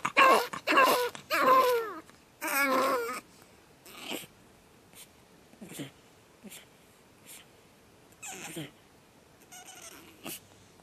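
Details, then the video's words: Pug puppy on its second night, opening with loud wavering screams and cries, then fading into softer intermittent whimpers and short squeaks. "Pug Puppy Screaming"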